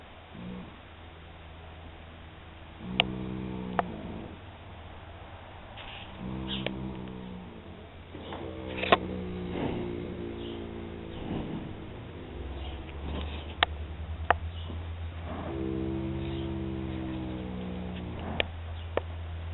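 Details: Filly Molly, aged one year three months, snoring with her eyes open; a series of short and longer low, buzzy snores of uneven length, scattered sharp clicks and knocks, and a steady low rumble.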